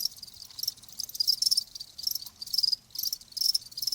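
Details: Cricket chirping, offered as a nature sound for tinnitus relief: high pulsed trills in bursts about every half second to second, with brief gaps between groups.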